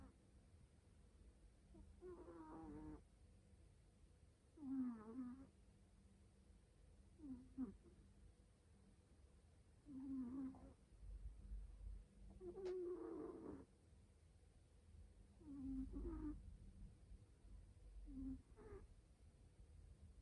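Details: Domestic cat falling asleep, snoring loudly: a steady series of about eight low, nasal, rasping snores, each a short rising-then-falling breath, coming roughly every two to three seconds over a faint, constant room hum.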